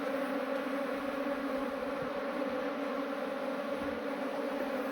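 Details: Asian honey bees (Apis cerana), a swarm that had flown off, being transferred into a modern hive: a dense, steady buzzing with a low droning hum that holds unbroken throughout, with no other clear sounds.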